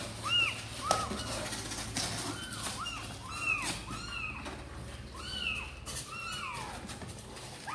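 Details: Sor and Kapov's kittens, keen to get out and play, mew in short high arcs, several callers alternating, spaced roughly half a second apart, with a constant low hum behind.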